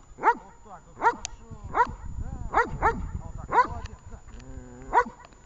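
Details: Training session with the dog Vesta, Horlivka, 20 July 2019: seven strong harmonic barks at uneven intervals under a second apart, with softer muffled yelps in between and low handling noise.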